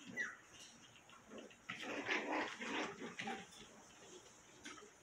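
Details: Five-week-old Cotonese mix puppies: a rough, growling bark burst of about a second and a half in the middle, framed by short soft squeaks and faint rustling.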